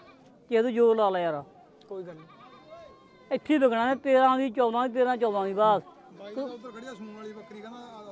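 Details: Goat at a sale in the Mullanpur mandi market, a black goat in the deal; a short wavering bleat, then a run of loud tremulous bleats in quick succession, with men talking in the background.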